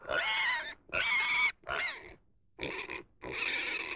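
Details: Pig squealing loudly: five harsh, high-pitched squeal bursts, each roughly half a second long, separated by short gaps with faint breathy noise between.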